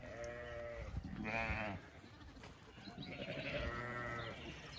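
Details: Zwartbles sheep flock heading to fresh pasture in the cool late afternoon in County Kilkenny, Ireland; three drawn-out, vibrating bleats, each under a second, over a rustling background.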